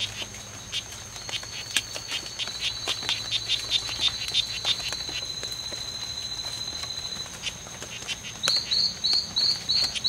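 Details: Strawberry poison-dart frogs, two males (Oophaga pumilio), locked in a five-hour fight at the C.R.A.R.C. reserve, September 10th, 2012. A steady high whine with faint ticking gives way near the end to a rapid run of short buzzy chirps.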